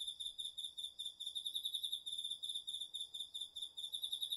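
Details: Night chorus of autumn insects, crickets among them, from a garden field, recorded on a DR-40X: steady, continuous high pulsed trill with regular rhythmic swells in loudness and no other sounds.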